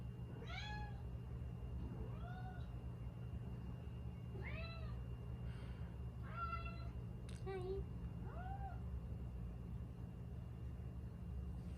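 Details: Chatty female Siberian cat, aged five, living indoors in Canada: scattered bright meows, some upturned and some flat chirps, about six over twelve seconds, with a faint click and steady low background hum.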